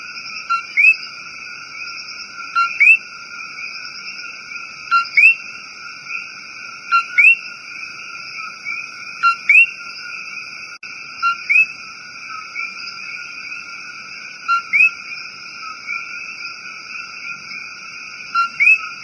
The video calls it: Relaxing Rainforest Coqui Sound